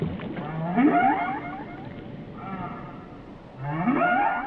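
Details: Whale song with two harmonic moaning phrases, each swooping upward into a bright whistling tone, separated by a quieter lower drone.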